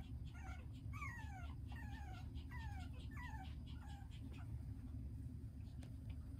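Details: Tiny poodle puppy whimpering in a series of thin, whistled whines that slide downward, each about half a second long and repeated roughly every half second, over a steady low rumbling hum.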